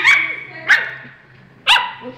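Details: Three loud, sharp yelping barks from Tequila the husky, each bright and ringing with a trailing tonal tail, spaced at uneven intervals over a low background hum.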